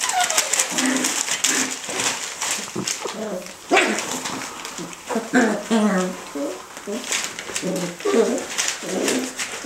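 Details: Chinese Crested Dog puppies, seven weeks old, indoors in a small room, giving short high whimpers and squeaky yelps in bursts, with rustling and scratching throughout and a person's voice now and then.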